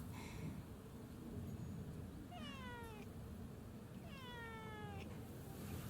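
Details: Community cat Hachi, a male, answers his name with two drawn-out descending meows about two seconds apart, harmonic-rich and smooth, over steady low outdoor background noise.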